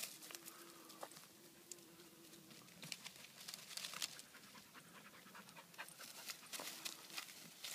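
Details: Irish Red and White Setters, one named Samba, tired after searching; rapid breathy panting as irregular bursts of airy hiss, with a steady faint tone early on and light rustling between breaths.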